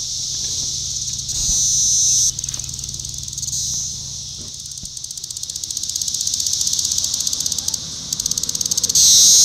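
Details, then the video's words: Brood IV Magicicada cassini at Shawnee Mission Park, Kansas, on June 5, 2015; high insect buzzing alternating between rapid pulsing and smoother louder stretches, broken by brief pauses, with a faint low hum beneath. "Magicicada cassini tymbal vibration (periodical cicada)"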